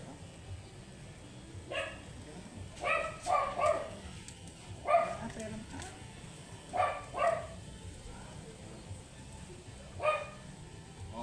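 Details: A matted Shih Tzu, angry while being groomed, gives short sharp barks in scattered bursts, often doubled or tripled, with long pauses between them. Quiet speech is heard underneath.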